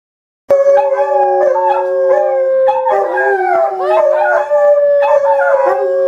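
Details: Several dogs howling together, recorded October 18, 2012: long, sustained, wavering tonal wails overlapping and layered at slightly different pitches, unbroken for nearly six seconds after a sudden start, with some voices sliding up and down.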